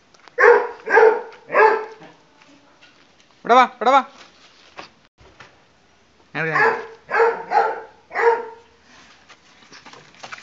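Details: Pug puppy at play during a game of hide and seek: three quick yappy barks open, followed by whiny voiced sounds and a later run of four barks in a small indoor room.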